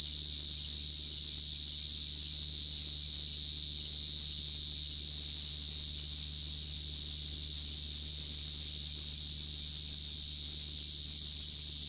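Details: Cricket song as one long, piercing, whistle-like trill at a constant high pitch, steady and uninterrupted, with a quiet low-frequency hum behind it.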